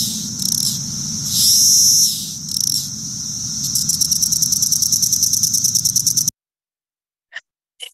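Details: On June 13, 2023, a cicada believed to be a Cassin's periodical cicada, a Brood XIII straggler out early, gives a high, hissing buzz that falters as if struggling to start, then a fast run of ticks, then faint clicks.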